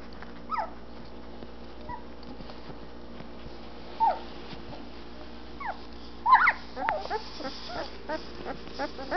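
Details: Twelve-day-old Anatolian Shepherd Dog puppies in their whelping box, eyes just opening, exploring. Scattered short whimpers and squeaks rising and falling, a louder cluster of yelps near the middle, over a steady low hum.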